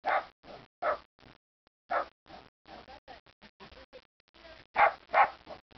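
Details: Angry pet dog having his say: rapid bursts of short gruff barks and grumbling vocal sounds, some louder yelps standing out, in a dense irregular string with brief pauses.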